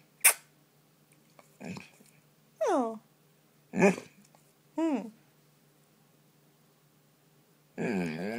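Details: Bolo the dog, indoors after getting lost under a comforter, gives short falling yowls between a sneeze and snuffles, ending in a longer rising, wavering howl.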